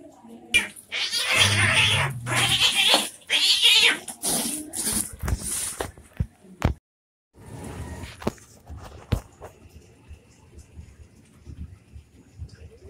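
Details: Domestic cats fighting, likely orange cats: harsh, noisy bursts of screeching and hissing pack the first six seconds, with scuffling thumps between them, then a silent gap followed by quieter rustling and a few sharp clicks.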